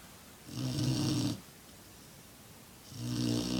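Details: A six-month-old black Labrador Retriever, male, snores in two loud, low, droning breaths about two seconds apart, each a steady buzzing rumble with a hissy upper edge, quiet between.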